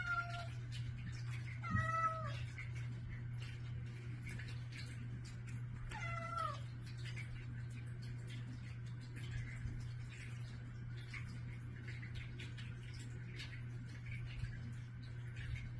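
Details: Household cats begging for breakfast in the morning at a daughter's bedroom door; a few quick meows early on, then a single wavering meow around six seconds, with a constant low electrical hum and light shuffling.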